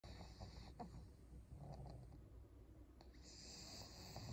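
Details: Senior fawn female pug, twelve years old, in Japan, snoring softly with low rumbling breaths and faint snorts, a quiet steady hum in the background.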